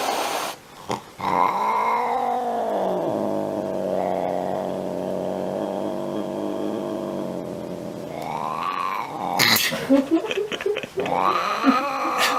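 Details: Angry domestic cat in a small room: a rising-and-falling yowl, then a sustained low moaning growl, ending in noisy hissing and spitting with short rising wails.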